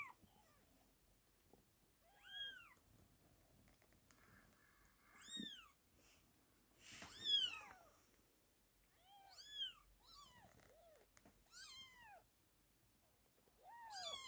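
British Shorthair kittens mewing in thin, high, arching squeaks, one after another every second or two.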